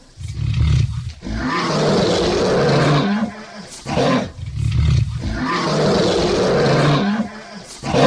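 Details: Lion (Panthera leo), roar.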